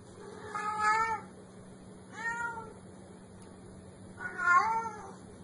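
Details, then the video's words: Three plaintive meows from a cute, mischievous black kitten, each a short bending wail, the final one strongest, with a soft background hum throughout. "Tiếng Mèo Kêu Meo Meo"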